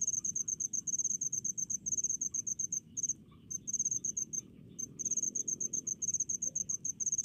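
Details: Rice-field cricket calling with quick, high, evenly spaced chirps grouped in short trains, a brief gap around three and four seconds, over a soft background hum of other insects.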